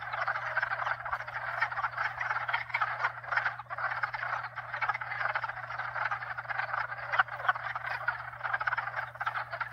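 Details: Continuous chorus of croaking frogs, at least two and maybe four species mixed, forming a dense buzzing, pulsating texture that swells and dips; a low steady pump drone sits underneath.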